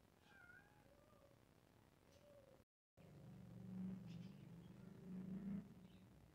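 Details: Two pet cats meowing: short tonal mews with gently sliding pitch in the first few seconds, then a brief break and a steadier low rumbling background sound.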